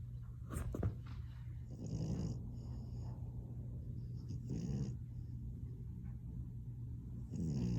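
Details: Female French Bulldog asleep with her tongue poking out, snoring up close; breathy, rasping snores come roughly every two to three seconds over a steady low hum, with a brief soft sound near the start.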